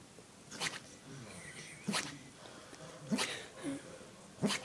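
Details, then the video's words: Dog barking in its sleep indoors: four short, muffled, broadband woofs spaced roughly every 1.3 seconds, with soft breathing-like noise between them. "Dog barking in his sleep"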